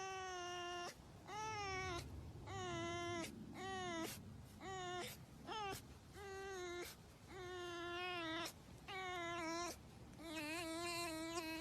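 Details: Pet red fox being petted by its owner, giving a series of high, whining, harmonic cries, each about a second long and repeated roughly every one to two seconds, some wavering slightly in pitch, in a quiet indoor setting.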